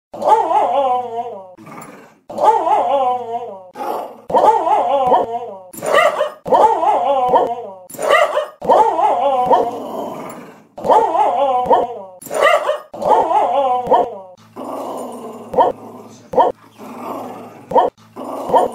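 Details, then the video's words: Pet female puppy vocalizing in a sing-song way, a run of short, wavering, modulated howl-like yelps and growly notes repeated about every second, with brief pauses between bursts and some clicking noises near the end. "CUTE SINGING & RAPPING PUPPY"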